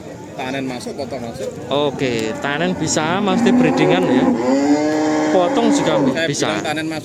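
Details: Simmental cattle at Pasar Sapi Kerek, a livestock market in Tuban, East Java. A long, steady low moo holds for a couple of seconds, mixed with overlapping human voices and shorter bovine calls.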